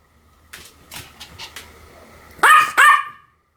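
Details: Pomeranian gives a few soft, quick yips, then two loud, piercing barks in close succession near the end.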